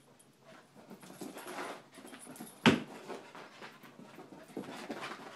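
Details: Rapid breathy panting from a ten-month-old puppy indoors, soft airy huffs rising and falling, broken midway by one sharp loud click or knock.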